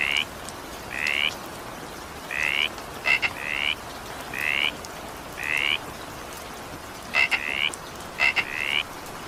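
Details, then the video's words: ['During an evening shower a frog repeats short, rising, nasal croaks every second or so, some led by crisp twin clicks, against continuous rain noise.'] "evening rain sound effect with frog sound"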